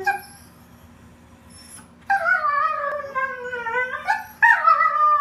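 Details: Huskies 'talking': after two near-quiet seconds, long wavering howl-like vocal notes with rich harmonics, sliding up and down in pitch, broken by a short gap and then resumed loudly.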